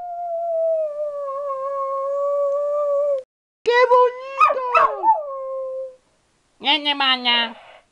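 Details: Dog chatting with its owner in its own language: a long, steady, tuneful howl lasting about three seconds, then a wavering, sliding phrase, a pause, and a final short howled burst.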